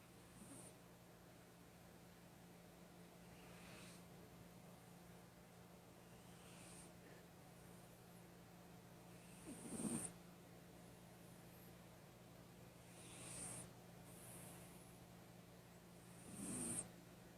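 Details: Sable, a pet cat, snoring while asleep: faint, breathy, hissing snores recur about every three seconds, a few swelling louder, over a steady low hum in a quiet indoor room.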